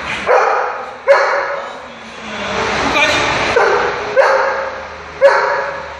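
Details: A Doberman in training gives several short, sharp barks, spaced about a second or more apart, answering a man who asks "how many?" and then praises him.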